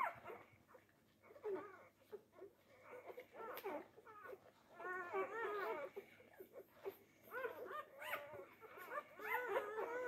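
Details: Four-day-old Labrador Retriever puppies pushing for teats, making scattered high whimpers and wavering squeals, some overlapping, interspersed with soft shuffling noises in a quiet indoor setting.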